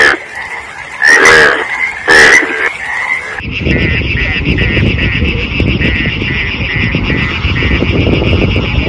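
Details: Two loud harsh frog croaks in the first three seconds, then a dense continuous pulsing chorus of frogs fills the rest.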